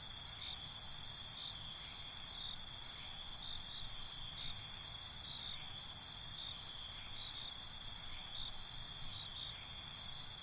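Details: Cricket chorus at night, bright high-pitched ringing trills with regular bursts of rapid chirps repeating throughout, many insects overlapping over a quiet low rumble.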